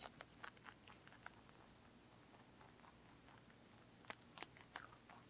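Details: Bunny ZZ, a lionhead and Dutch mixed-breed pet rabbit, eating broccoli indoors: soft, faint crunching bites scattered through the quiet, with a sharper cluster of crisp snaps near the end over a low steady room hum.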